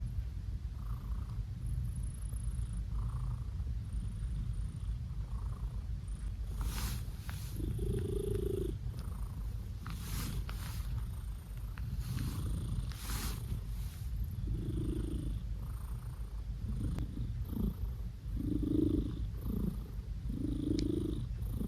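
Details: Blue British Shorthair cat, male, purring and making funny noises while being petted; steady low rumbling purr throughout, with short throaty chirp-like bursts clustered in the second half.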